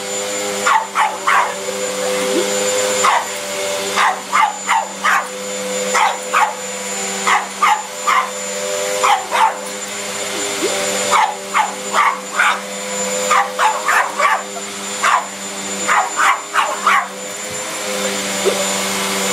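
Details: Otis, a pet pug, barks at a running vacuum cleaner, putting on a tough act while actually scared of it. Sharp, high yappy barks come in quick clusters of two to four throughout, over the vacuum's steady droning whine.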